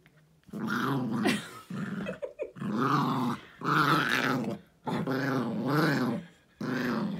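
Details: Domestic dog growling at home as he attacks his toy elephant after dinner; repeated long rumbling growls about a second or more each, separated by short pauses, in a small room.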